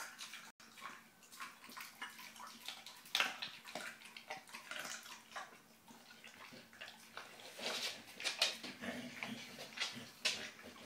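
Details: Bullmastiff x English bull terrier puppy chewing its first fish: steady run of wet, crackling mouth noises and smacks, with louder bites around three and eight seconds.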